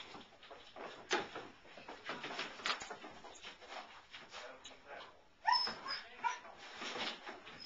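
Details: German Shepherd puppy, about four months old, playing tag indoors with an adult Blue Great Dane; scattered whines and short yips, a sharp whistled whine rising mid-clip, among scuffling and faint speech.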